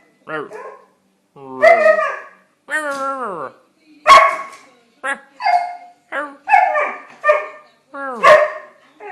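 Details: Siberian Husky giving a run of short, harmonic, whine-like yowls and yips that bend up and down in pitch, about a dozen separate calls with brief pauses between them.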